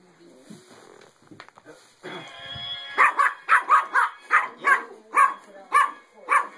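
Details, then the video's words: Young dog agitated by a singing penguin gadget: after some scuffling and brief voices, a string of about eight loud, evenly spaced barks breaks out over the toy's continuous electronic tune. "Puppy freaks out over singing Penguins"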